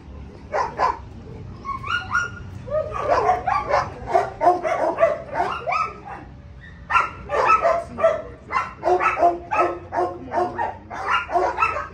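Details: German Shepherd on a leash during obedience training, giving bursts of sharp barks, single at first and then in rapid repeated volleys with short pauses, over low background noise.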